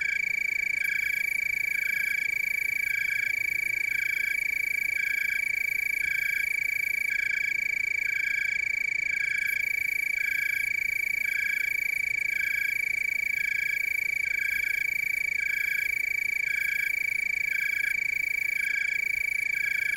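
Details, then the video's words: Willamette Valley, Oregon tree cricket chorus: an unbroken shrill trill holds steady throughout, with softer pulsed chirps from further insects repeating roughly every second beneath it. "Tree cricket chorus"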